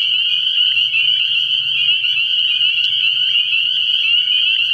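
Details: Spring peepers in full chorus at a frog pond after dark in early spring, their high shrill peeps fused into an unbroken sustained ring, accompanied by a quiet low pulsing hum.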